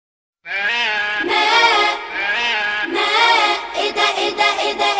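A goat gives long, quavering bleats in a rapid, almost unbroken series.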